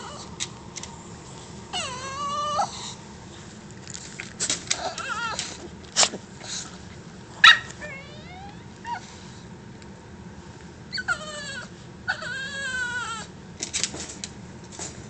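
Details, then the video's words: Bruce, a pet dog being teased by his owner, cries in drawn-out, wavering, high whines that rise and fall like a human baby's cry. They come in bursts near the start and again near the end, broken by short clicks and knocks. "Bruce crying like a human baby"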